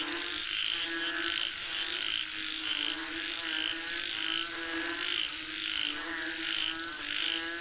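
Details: Rain-calling frogs croak in a busy chorus, bursts recurring somewhat irregularly around forty times a minute, with a continuous piercing insect whine behind them.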